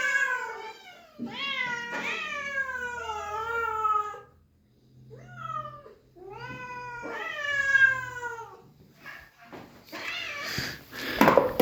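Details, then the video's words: Several shelter cats meowing with excitement on seeing their feeder return after days away, before feeding; loud, drawn-out, harmonic meows, rising then falling, overlapping from multiple cats, with a rustling clatter near the end. "The cats were excited and made noise when they saw me after a long time"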